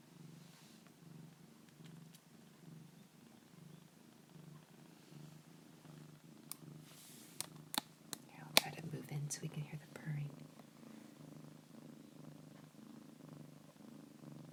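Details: A foster kitten purrs steadily and fairly loudly, a low rumbling hum that pulses evenly with each breath.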